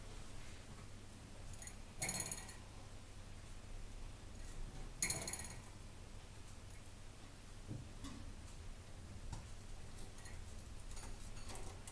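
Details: Metallic clinks and rattles over a low room hum, with no animal calls.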